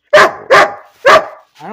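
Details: Bean, a pet dog, barking for no reason: three loud, harsh barks in quick succession, followed by a short tonal whine at the end.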